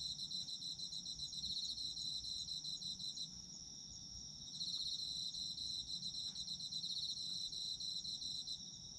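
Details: Autumn insects in Japan, recorded for sleep listening: a dense chorus of high trilled chirps, several callers overlapping, with one pulsed voice swelling and fading while a steady ringing trill carries underneath.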